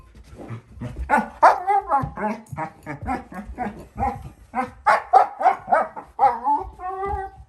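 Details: Four-month-old female German Shepherd puppy playing with her bowl indoors, making funny noises: a continuous run of short, whiny, harmonic grumbles and yips, about three to four per second, ending in a drawn-out whine.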